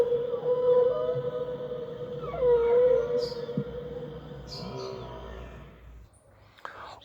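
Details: In Antarctic waters, a whale holds a long, slightly wavering mid-pitched moan with ringing overtones and a few gliding sweeps, fading at the end into short, high, squeaky chirps.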